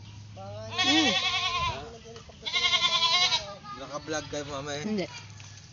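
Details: Pet goat described as playful and pesky, giving two long wavering bleats, each about a second, rich in bright harmonics, with fainter lower bleating sounds and background voices following.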